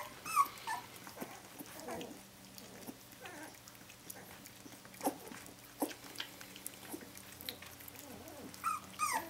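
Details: Brenda's puppies, seventeen days old, calling for their mother: thin, squeaky whimpers come in scattered short bursts, with a louder cluster at the start and again near the end, over a faint background hum.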